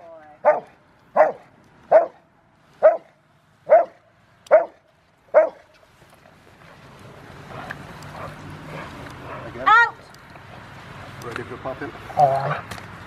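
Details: Rottweiler River v Schwarzerwald, age five, bite training for a ZTP trial, January 2020. Seven rhythmic, deep barks open, then give way to noisy background with voices and a couple of scattered barks.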